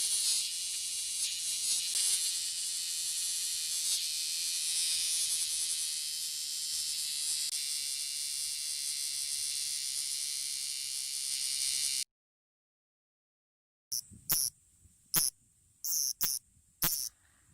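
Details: Male bear cicadas in a park in the Kansai region of Japan where many perch on the trees; a dense, harsh, continuous high buzzing for about twelve seconds, then a pause and several short, loud rasping bursts.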